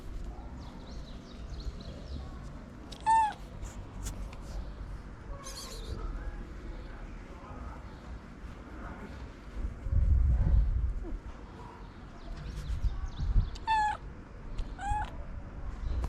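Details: Sweet ginger stray cat with a long mustache, wanting love and food, gives four short meows, two at once and two more some ten seconds later, over low rumbling street noise.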